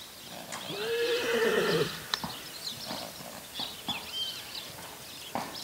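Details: Paint horse at a stud farm, recorded 19 May 2009: one high, drawn-out whinny lasting over a second, followed by scattered hoof clops on the ground and faint background noise outdoors.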